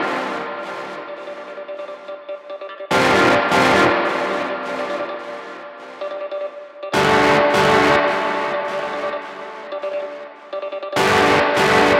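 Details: Bell-like music with loud ringing chimes returning every four seconds, and no animal sounds.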